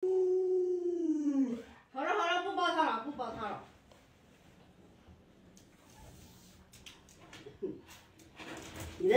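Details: Pet Alaskan Malamute Lolo, indoors amid a family skit, gives a falling whine, a short break, then a rising-falling warbled howl, before the room goes nearly silent with faint voices.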